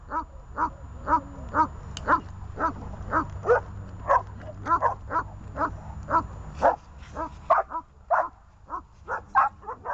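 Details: Dogs on a leash, named Glemmy, Fela and Rey, give a steady string of sharp mid-pitched barks about every half second, a short pause near the end, then more barking over a faint low rumble.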